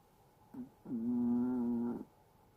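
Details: Chihuahua asleep, giving a brief faint catch followed by one long, even, whistle-like snore held for about a second, steady in pitch and loudness, in a quiet indoor setting.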